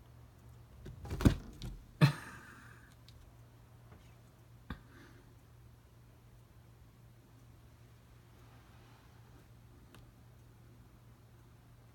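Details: A quiet indoor room carries a few soft thumps and knocks near the start, then near silence, with no animal voice heard.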